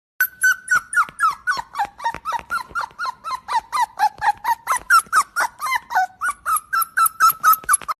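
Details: Dog sound said to be an injured puppy: a fast, steady run of high whining yelps, about four per second, each bending downward, with no pause throughout.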